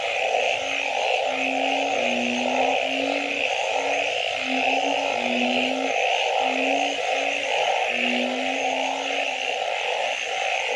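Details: Nighttime frog chorus: low, steady humming notes about a second long follow one another closely over a dense, pulsing mid-pitched chorus and a constant high hiss.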